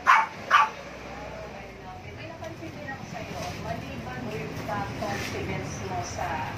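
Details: Chihuahua named Katriona, around her first litter in September 2021, gives two sharp yipping barks at the start, followed by faint whimpering sounds under steady background noise.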